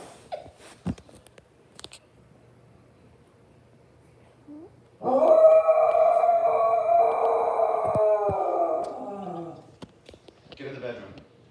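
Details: A dog making funny sounds gives a drawn-out, wavering, howl-like whine lasting about four seconds. It rises out of near quiet with a few faint clicks and knocks, and a soft short whimper follows at the end.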